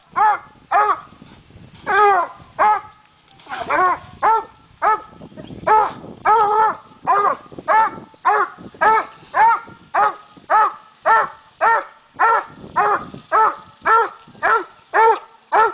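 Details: Coonhound treeing a raccoon on a night coon hunt, a steady chop of loud ringing barks, roughly two per second, evenly repeated for the whole stretch, with a man's voice briefly heard early on.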